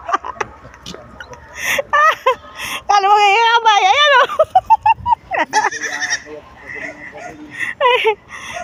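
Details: A playful, mischievous goat kept in the countryside gives one long quavering bleat lasting about a second, with a wavering pitch. Tagalog speech, laughter and short chirpy animal notes are heard around it.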